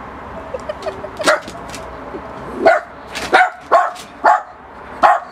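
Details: Miniature Pinscher barking at a balloon: sharp high yappy barks, single and in quick pairs, about six over five seconds, with rustling and background room noise.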